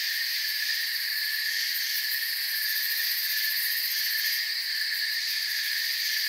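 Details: Forest crickets at night form a steady, dense chorus of high, fizzing chirps in stacked bands, even and unbroken for the whole stretch, with no other animals or people heard.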